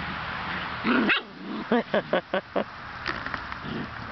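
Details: Six-week-old White German Shepherd puppies playing outside in an x-pen, with a run of five short yappy barks in quick succession after a brief growly outburst, over a steady background hiss.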